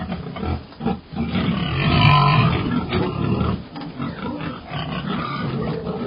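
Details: Pig giving a drawn-out scream: one long, loud, tonal squeal peaking around the two-second mark, framed by rougher grunting noises before and after.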